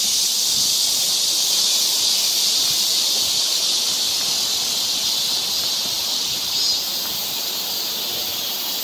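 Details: Cicadas singing along a forest trail in summer in Seoul, Korea: a dense, unbroken, high-pitched buzzing hiss that holds steady throughout with a fast, slightly pulsing texture, with no other clear sounds.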